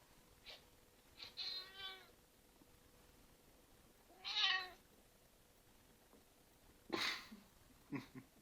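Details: Red Point Ragdoll cat indoors making funny noises at a bug: short harmonic meows and chirps, a drawn-out call near 1.5 seconds, a louder bright cry at 4.5 seconds, then brief sharp chirps near 7 and 8 seconds.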